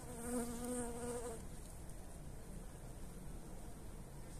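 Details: Honey bee buzzing close by for about a second and a half, a clear droning tone with overtones, then fading into the low hum of the colony, recorded on 29 January in pleasant weather while energy cakes are fed to the bees.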